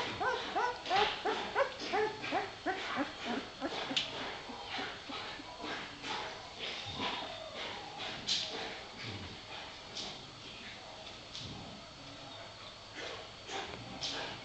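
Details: A litter of puppies about three weeks old whimpers and yips in a busy chorus of short, curved squeals, thick in the first half and growing sparser and softer toward the end, with faint background voices.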